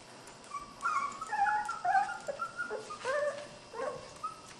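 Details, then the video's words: Skar's puppies wrestling in play, giving a quick tumble of high, bending whines and squeaky yips, several overlapping, in rapid irregular bursts for about four seconds. "Puppy Play Time"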